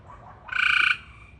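A frog gives a single brief, rapidly pulsed, nasal call lasting under half a second.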